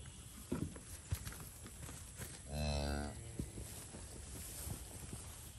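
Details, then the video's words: Limousin and Angus breed cattle out in the pasture; one clear, deep, harmonic moo lasting about half a second near the middle, with scattered clicks and rustles around it. "Watching the cows in the pasture. Moo. Limousin and angus breed cattle."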